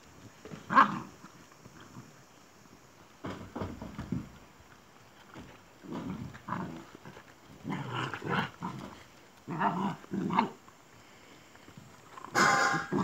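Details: Pyrenean Mountain Dog puppies born 5 October 2018 start playing after eating, making rough little growls, grunts and higher yips in uneven bursts with brief pauses. A sharper, noisier burst closes the sequence.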